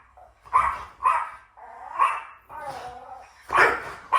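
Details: Two French Bulldogs reacting to strange sounds played to them: short, sharp barks roughly every half second, with a drawn-out, wavering tonal howl-like yelp in the middle and a brief spoken word.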